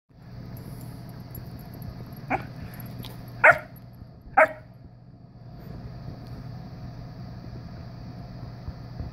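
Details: A visiting Siberian Husky puppy, apparently inviting a household cat to play, gives three short, sharp barks over a steady low background hum.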